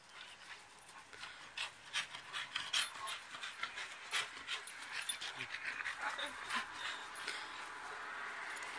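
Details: Two dogs, a 2-year-old malamute and a 10-year-old staffie, playing and wrestling in a backyard: rapid, irregular breathy panting bursts about three per second, with short whiny tones and scuffling; a person talks nearby.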